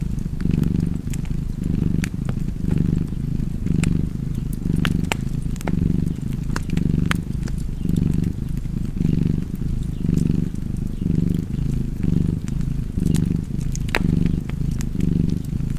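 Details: A cozy cat purr rumbles low and even, pulsing with its breaths about once a second, while scattered wood-fire crackles tick above it.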